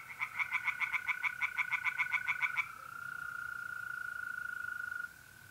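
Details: Tree frogs in a pond on an April night in north-east Italy give a quick series of pulsed croaks for about two and a half seconds. A smooth, continuous mole cricket trill follows, then fades.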